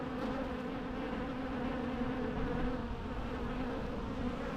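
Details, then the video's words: Bees in a natural setting give a steady, low droning hum with a clear tone near 250 and 500, holding even throughout without breaks. "natural bee sounds"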